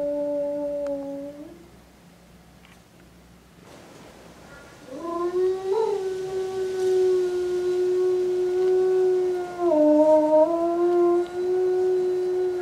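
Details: Zoo-kept eastern timber wolf, a male aged five in Tokushima, Japan, recorded 17 January 2017: a brief howl ending, quiet, then a long rising howl that wavers, dips and rises again, sustained for about eight seconds.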